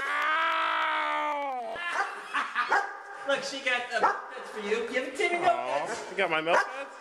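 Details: Several pet dogs, said to be attacking a person with a broken foot, make a long steady whine for nearly two seconds, then a fast run of high yips and short barks with bending pitch. A person's voice is mixed in throughout.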